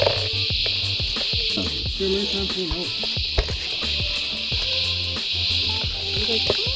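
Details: Christmas beetles in eastern Australia, loud enough to be first mistaken for a bird: a steady, high, sizzling drone runs unbroken throughout, with people talking in surprise beneath it.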